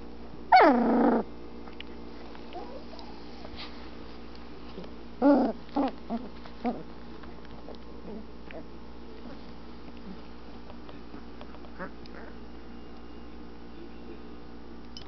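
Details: Anatolian Shepherd Dog puppies, twelve days old with eyes starting to open, in their whelping box: a loud falling yelp opens, then a cluster of short sharp yelps and grunts about five seconds later, with quieter whines and a low hum beneath.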